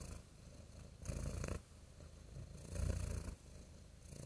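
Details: Real cat purring, a deep low rumble that swells and fades in slow cycles roughly every one and a half seconds, each loud phase carrying a faint breathy hiss above the rumble.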